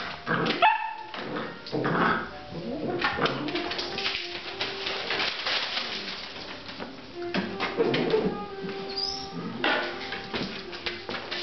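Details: Basset Artésien Normand puppies aged 8½ weeks whimper and yip in short, broken bursts, with thin whining notes and scuffling noise throughout.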